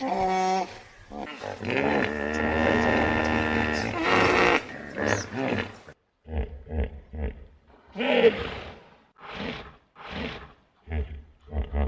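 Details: Hippopotamus bellowing in a long, rough, harmonic blast, followed by a series of short, deep, pulsed grunts spaced irregularly.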